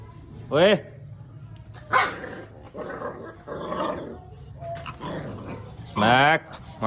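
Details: Labrador Retriever puppies giving two loud, high, wavering yelps rich in overtones, one near the start and one near the end, with softer murmuring sounds like human speech in between.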